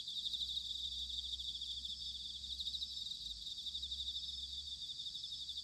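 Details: Bell crickets in autumn at Sanuki, Chiba, Japan, in a quieter passage: an even, high, shimmering insect chorus throughout, with a faint low rumble beneath.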